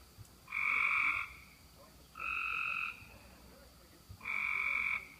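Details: Frogs call at 11:35 pm on June 5, 2016, from a roadside ditch after lots of rain. Their steady, even-pitched notes, each under a second, repeat about every two seconds.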